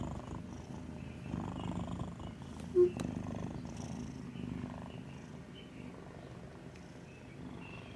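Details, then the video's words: Dreaming cat asleep and snoring like an old man, soft low rumbling breaths, quieter overall, interrupted near the three-second mark by a short sharp click. "Snoring (and dreaming) cat sounds like an old man"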